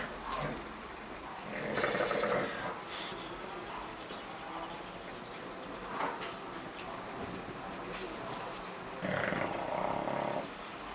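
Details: Bulldog snoring in a living room: two loud, rasping, broadband snore bursts near the start and end, a softer one between, over steady low room noise.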